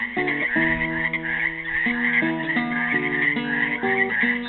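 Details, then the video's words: A continuous high, buzzing croak chorus comes from frogs trapped in a pool in Helix, Oregon, recorded on Earth Day 2016, with a melody of plucked classical guitar notes played over the calling. "GUITAR AND FROGS SINGING"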